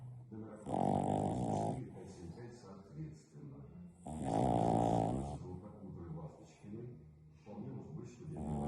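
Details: A French Bulldog puppy named Verona snores heavily in her sleep after a bout of play. Three rough, buzzing snores of about a second each come roughly every three seconds, with softer wheezy breaths in between.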